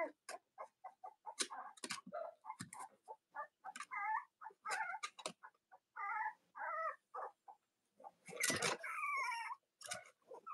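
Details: Cavalier King Charles Spaniel puppies of Robin and Myra indoors in the US on an autumn morning: busy overlapping squeaks and short whines mixed with clicks and shuffling noises.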